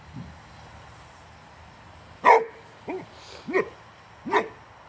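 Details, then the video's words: Boxer Rex, a Swedish male born August 2015, barking at a wheelbarrow tire: quiet start, then one loud sharp bark followed by three shorter, softer barks spaced under a second apart. "Crazy Boxer Dog Angry At The Tire On A Wheelbarrow"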